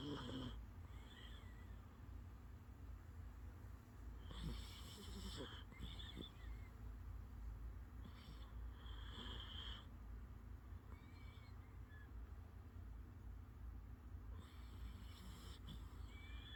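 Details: A sleeping dog snoring: rasping, breathy bursts at roughly four- to five-second intervals over a steady low rumble, with faint high chirping whistles in the background.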